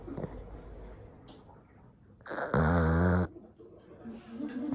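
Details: Pug crossed with toy poodle, a flat-faced dog, sleeping and snoring indoors; quiet wheezy breathing gives way to one loud rattling, buzzy snore of nearly a second, followed by softer snuffles.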